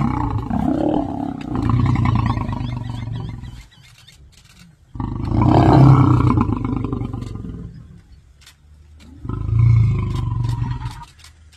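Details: Male lion in Chobe roaring a warning at his son: three deep, rumbling roar bouts a few seconds apart, each a loud burst of low, rough sound that fades before the next, with quiet gaps between.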